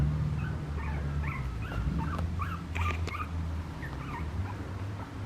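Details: Papillon puppy whimpering with a stream of thin, high squeaks and short chirping whines, rising and falling quickly, scattered irregularly over a loud low rumbling hum.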